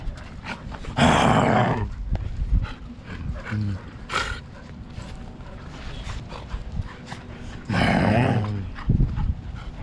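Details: Fighting pet Siberian Huskies in a family with parents Turbo and Cloud. Two loud, rough growl-bark outbursts about seven seconds apart, with soft snorts and shuffling between them.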